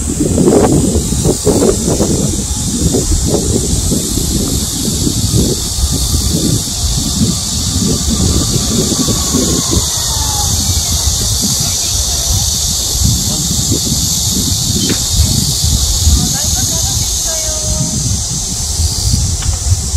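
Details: Cicadas singing in midsummer during a nationwide heat wave: a loud, steady, hissing high drone without breaks, over heavy low rumbling like passing traffic or wind and rustling.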